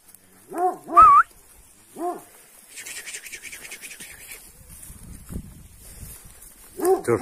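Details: Dog outdoors barking after being startled by a man on the land, three short arched barks in the first two seconds and another at the end, a man talking to it between them.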